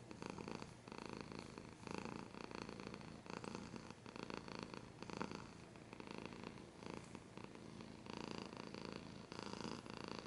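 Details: Close, intimate purring from a cat, a buzzy rumble repeating in breath-length phases about once a second, mixed with soft scratching noises, ASMR style.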